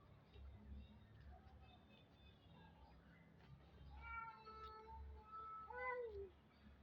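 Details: White kittens meowing while being fed: a few faint calls early on, then a run of clear, drawn-out meows near the end, the last one sliding downward, over a low steady hum.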